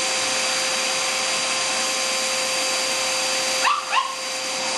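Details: Shih Tzu named Sophie, indoors and excited by a running vacuum cleaner, gives two quick high yapping barks near the end, nearly buried under the steady roaring drone of the vacuum motor.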